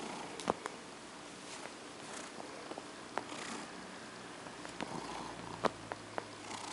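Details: Female cat named OCD Cat purring while being petted to sleep indoors; a steady, soft rumbling purr runs throughout, with brushing noises from the petting and a few sharp clicks.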